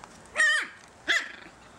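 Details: Puppies giving two short, high-pitched yelps, each rising then falling in pitch, spaced about 0.7 seconds apart, with a quiet background between them.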